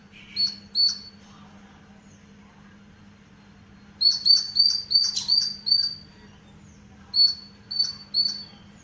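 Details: A squirrel in a green house garden gives sharp, high chirps in quick bursts of two to five notes.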